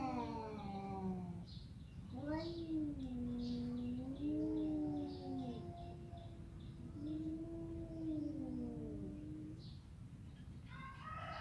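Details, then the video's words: Domestic cat meowing in a series of drawn-out, wavering calls that rise and fall, several overlapping with faint background noise and a low hum throughout. "Kucing bisa ngomong"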